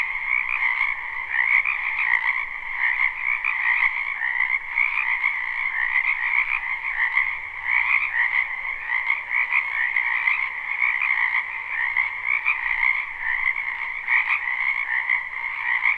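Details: Live, unlooped recording of frogs croaking in a spring wetland behind a house: an unbroken, even chorus of many overlapping trilled calls in two pitch bands, steady loudness throughout, no birds or people.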